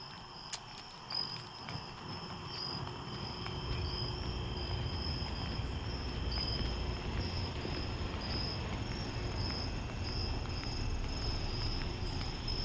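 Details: Crickets calling at night, heard during a walk to a store: a steady, high, pulsing chirp that runs throughout, over a constant low rumble of footsteps and street noise.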